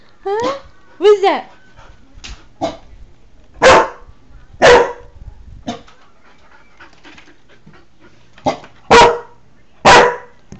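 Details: Newfoundland dog protecting his territory, thought to be barking at his reflection in a window, July 2009; rising whine-like yelps at first, then a few deep single barks separated by pauses, with a person speaking between.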